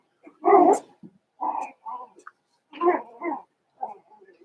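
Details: Five-week-old Cavalier King Charles Spaniel puppies in Daisy's indoor puppy pen, giving short, yappy barks and yelps in quick bursts of two or three, with softer whining notes in the pauses between.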